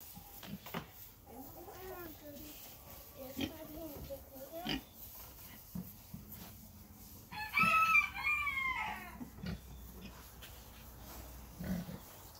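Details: Red Wattle pigs about six months old give short, harmonic squealing grunts in the opening seconds. A loud crowing rooster breaks in midway, with voices and scattered knocks around them.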